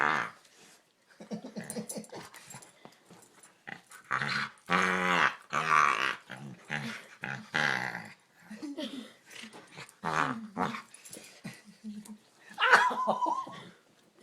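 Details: Domestic dog that goes wild when its chin is touched, giving odd frog-like noises in a small room; repeated harsh throaty croaks and growls, loudest around the middle, with a person talking in between.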